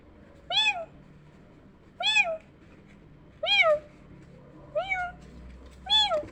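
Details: Kittens answering a meowing sound: five bright, high-pitched meows, each bending up then down, spaced about one and a half seconds apart, against a faint low background.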